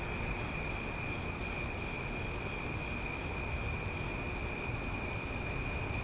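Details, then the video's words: Omaha cicadas at night in summer, loud and continuous: an even, unchanging shrill drone in layered high tones, with faint low-frequency background rumble throughout. "Cicada Sounds for Sleep"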